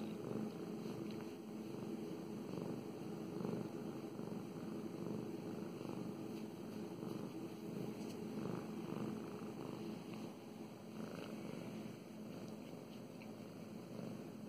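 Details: Mow Mows, a pet cat getting strokes, purrs steadily: a deep vibrating rumble pulsing with each breath, loud and close, with light brushing and scratching sounds of petting mixed in.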